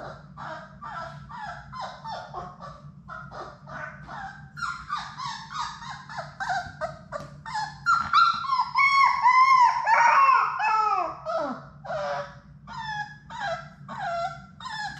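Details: Indoors in a puppy play room, Sadie's six young Labrador Retriever puppies at play make a long run of high whimpers and yips, short falling notes, then a louder burst of squealing whines, while a low steady hum runs beneath.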